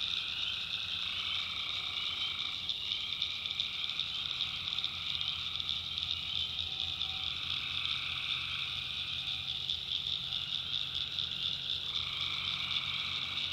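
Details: Tree frogs calling at night in a swamp in the backwoods of North Carolina: a dense, unbroken chorus of high trilling voices, with a lower pulsing layer that drops out and returns every few seconds over a faint low hum.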